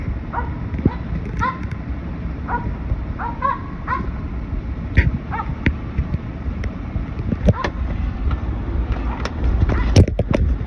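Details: Treeing a squirrel while road hunting, a Finnish Spitz gives quick, high barks, some in close pairs, then sparser ones later, with low wind-like rumble and a few clicks and knocks behind.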